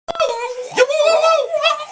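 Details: A Boston Terrier gives a drawn-out, wavering howl that rises and falls in pitch; he howls whenever the University of Tennessee scores in football.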